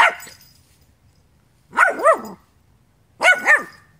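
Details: A dog gives paired, rich harmonic barks, each burst two arched yaps in quick succession, repeated roughly every one and a half seconds after a fading earlier bark.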